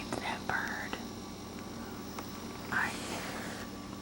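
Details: Domestic cat named Copper indoors, talking to birds: two short rising chirps about two seconds apart, with soft breathy noise and a steady low room hum underneath.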